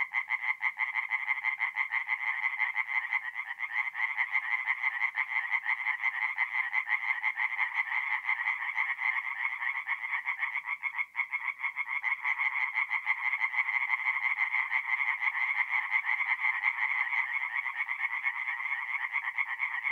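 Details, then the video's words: Continuous chorus of many tree frogs singing by night at a forest pond in north-east Italy in mid-April, a dense unbroken wall of fast rasping croaks with a brief dip near the middle. "relaxing forest pond by night with singing tree frogs"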